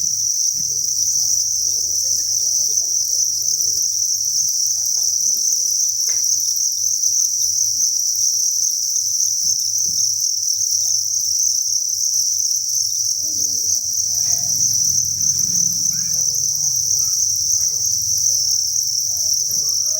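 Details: Thousands of farmed crickets in a breeding facility chirp together in a dense, continuous high-pitched chorus, steady and unbroken, with faint low rustling and scattered soft background sounds beneath.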